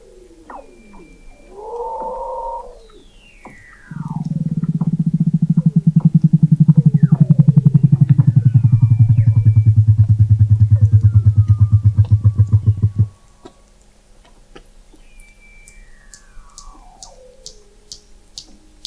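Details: Weddell seal vocalizing under thick sea ice in McMurdo Sound, Antarctica, captured November 2017 by the McMurdo Oceanographic Observatory 21 m below the ice: gliding whistles, then a long low pulsed trill lasting about nine seconds, with faint descending chirps afterward.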